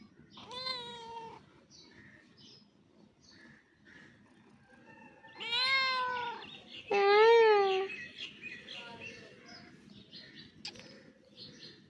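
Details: Several kittens meowing at once, all talking at the same time: harmonic meows around half a second to a second long at about 0.5, 5.5 and 7 seconds, the last rising then falling, with softer overlapping cries between.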